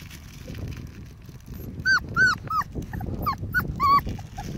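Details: Five-week-old Pomsky puppies playing with a five-week-old Husky puppy: a run of short, high, arched yips and whines in quick, uneven succession, over a low background rumble.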